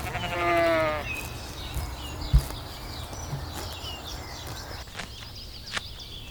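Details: Grazing lambs in a cool forest: one quavering bleat opens the recording, then steady low rumble, a couple of sharp knocks and faint high bird notes follow.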